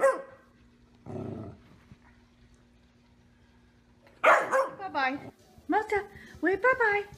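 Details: Pet dog making two short bursts of sound, a pause, then a lively series of curving, sliding yelps and bark-like notes in quick succession, with a faint steady hum behind.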